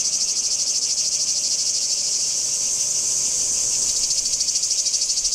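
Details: Shrill, steady cicada rasp heard at Kardamyli in 2013, pulsing rhythmically about three times a second and growing slightly brighter toward the end, with nothing else notable around it.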